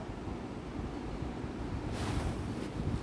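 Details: Steady low rumble of wind and surf-like noise, with a brighter hiss of microphone wind rising in the last second; no animal voice can be made out.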